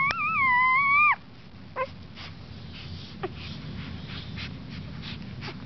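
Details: Crying puppy giving a single loud, drawn-out whining wail lasting about one second, held steady with a slight rise at the onset and a drop at the end, followed by a few faint clicks against quiet indoor hiss.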